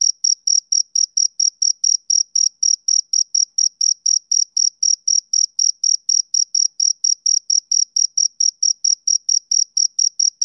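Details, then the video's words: A male cricket chirps through a summer evening in a fast, regular series of sharp, shrill pulses, roughly four a second, each ringing with a thin upper tone. The background is silent. "Cricket Chirping Sound Effect"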